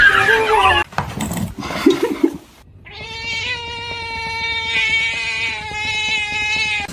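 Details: Domestic cat holding a long, steady, nasal yowl for about four seconds at an even pitch, with many bright overtones. Shorter mixed noises and handling sounds come before it.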